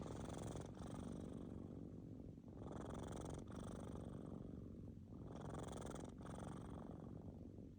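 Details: Sleeping kittens snore in long rumbling breaths, a coarse low vibration broken by short pauses roughly every two to three seconds.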